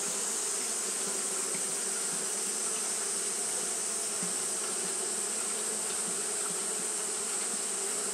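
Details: On a hot day, Japanese honey bees keep fanning without pause, giving a smooth, unbroken buzzing drone layered over a faint high sizzle.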